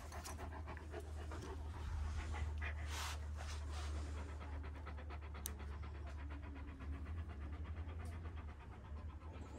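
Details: Fast rhythmic panting from year-old Kangal dogs, Alanya in Antalya province, Turkey, 24 September 2024; quick airy breaths about four per second run continuously, with a constant deep background hum beneath.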